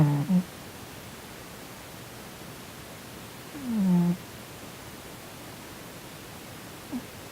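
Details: Sonny, a male Korean shorthair cat, snoring while asleep and twitching, possibly having a nightmare; two low, short falling snores a few seconds apart, then a faint third near the end, in a quiet room.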